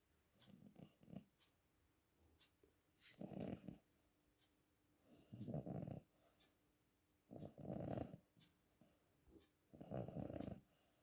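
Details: Sleeping cat snoring in a quiet room, each low rasping breath lasting under a second and repeating roughly every two to two and a half seconds, with softer short breaths between the louder snores.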